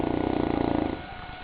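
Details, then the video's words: Sleeping St. Bernard Goliath gives a short, throaty fluttering snore lasting under a second, then fades into quiet breathing. "Bernhardiner Schnarchkonzert"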